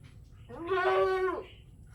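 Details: Village goat in Natore, Bangladesh, giving one clear, steady, strongly harmonic baa lasting under a second, over faint low background hum.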